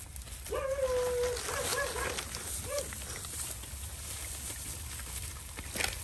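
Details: Hungry village mother dog and her puppies at feeding time: a high, steady whine held for about a second, then shorter wavering whines and a brief final yelp, over constant outdoor hiss.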